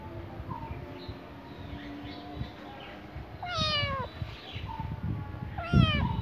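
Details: A cat gives two drawn-out meows, each a harmonic cry that holds briefly and then slides downward, with a quieter mew earlier, over a low rumbling background.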